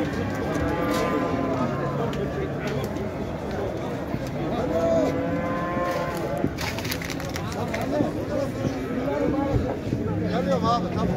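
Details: Livestock market cattle at Şarkışla, Turkey, 8 January 2022, mild weather and a busy crowd: deep, droning moos overlap one another while people talk and clatter in the background.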